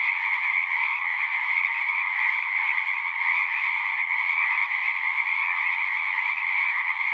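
A dense chorus of frogs calling together in a steady, unbroken trilling drone.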